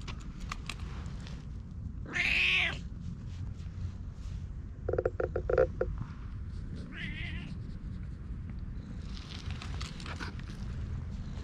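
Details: Affectionate stray cat found in woodland, eager to be petted, recorded with a GoPro: one loud drawn-out meow early on, then a shorter softer meow, with tapping and rustling between them and constant low background hum.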